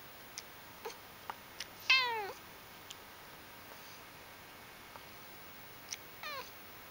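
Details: Pet cat indoors, whose purring is also described as loud, gives one strong rising-then-falling harmonic meow, then a fainter, shorter meow near the end, with scattered small ticks and clicks in a quiet room.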